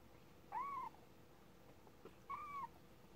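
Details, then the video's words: Thirty-day-old kitten giving two high, thin mews, each rising then gently falling in an arched glide, spaced nearly two seconds apart against a hushed, steady background. "Kitten Day 30"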